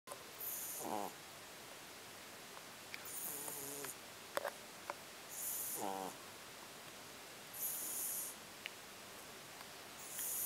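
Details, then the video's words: A French Bulldog puppy snoring. Raspy, hissing breaths come in a steady rhythm about every two and a half seconds, some with a short fluttering rattle, with soft clicks between them. "French Bulldog Puppy Snoring"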